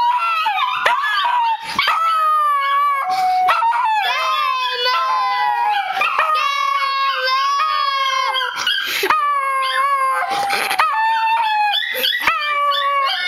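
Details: Pet dog howling in answer to a girl's screeching voice: long wavering, wailing tones that rise and fall, overlapping her high shrill cries almost without pause.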